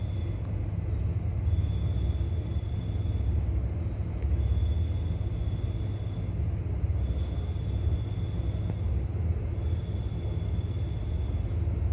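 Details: A constant deep rumble like a passing vehicle or engine dominates, with a faint high electronic tone appearing in short stretches and no animal sound.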